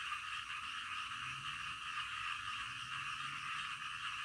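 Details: Frogs heard in the middle of the night, a thick steady chorus of rapid pulsed croaks merging into a constant throbbing hum, with a faint low hum underneath.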